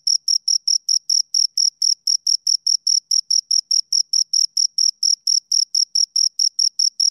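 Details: Steady chirping from two crickets close to the microphone, a relentless train of short shrill pulses, roughly four per second, evenly spaced and equally loud throughout, against total silence.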